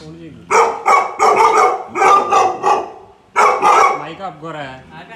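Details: Tibetan Mastiff puppies reacting to a Bluetooth speaker they take for a living thing, loud rapid barks in two clusters of several each, then a whining, wavering tone at the end.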